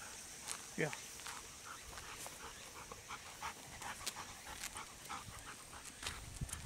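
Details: Golden Retrievers on a late-August morning walk, still hot for them, heading to a river for water play; quick rhythmic panting breaths about two per second, a brief human voice, and a steady high insect drone behind.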